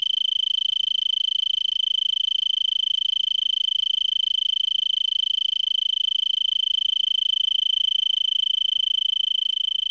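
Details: Stridulating Arizona tree cricket, Pima County, Arizona, December 26, 2022, about 5 PM, 3300 ft elevation, singing for an hour in a brittlebush; unbroken shrill trill on one high note, fast even pulses, quiet background.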